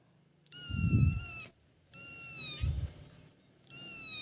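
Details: House kitten calling for its owner gives three long, high, plaintive meows, each nearly a second, spaced roughly every 1.5 seconds, flat then dipping at the ends, with soft low thumps and rustling in between.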